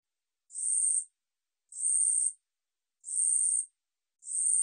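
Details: A 우리여치 katydid sings, in a 2020 National Institute of Biological Resources recording: high, raspy buzzes of about 0.7 seconds, repeated evenly every 1.2 to 1.3 seconds, four heard, with silence between them.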